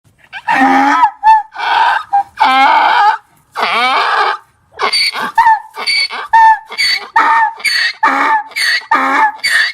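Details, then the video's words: Donkey braying, said to bray when angry or afraid: long harsh harmonic blasts in alternating wheezing and honking phases, then a fast run of short, choppy repeated honks. "DONKEY SOUNDS! What sound does a donkey make"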